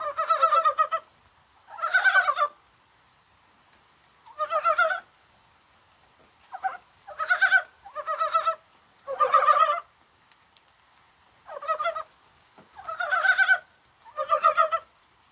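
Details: Rain falls on a mild, spring-like January 21st as mountain frogs croak. Short bursts of chuckling, pulsed croaks come about every second or two, with several callers overlapping in a lively chorus.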